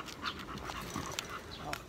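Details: American Bully named Samson exercising at the gym, panting in quick breathy puffs, roughly four to five per second, over a low steady background rumble.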